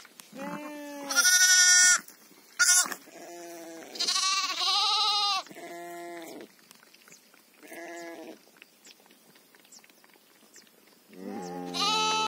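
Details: Sheep heard around a ewe that has just given birth to a lamb: loud, harmonic bleats in bursts of about a second, some high and strained, others lower and wavering, with quiet gaps between calls.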